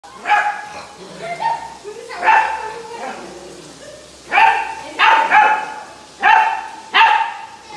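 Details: A 61-day-old female Indian Bull Terrier puppy, on her second day at home, gives high, sharp yapping barks in short bursts, guarding on seeing the cook for the first time.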